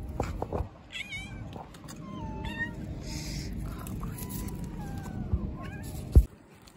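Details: Street cats of a neighbourhood: several drawn-out, wavering meows, with a quick chirping burst near the start and a loud thump near the end, while a person calls to them and faint music plays.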